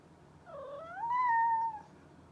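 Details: Mischievous domestic cat giving one long plaintive meow indoors, dipping first, then rising and holding a steady tone before fading, against faint low room hum.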